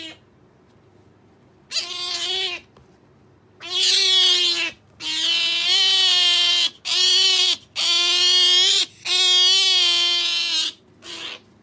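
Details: Female otter Sakura kept as a pet, demanding jerky with a run of seven loud, steady, harmonic squealing cries of varying length, the longest over a second, with brief gaps between them.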